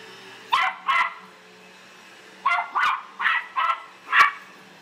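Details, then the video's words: Pet Australian silky terrier barking wildly at a household vacuum, giving seven abrupt barks in two clusters separated by a short pause, a faint mechanical hum underneath. "Silky Terrier barks at Vacuum"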